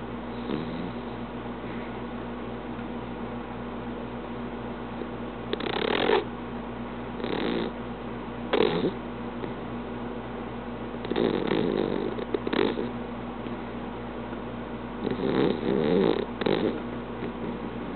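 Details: An English cream dachshund snores while napping, in soft, breathy rasps that come in irregular bursts over a low steady hum.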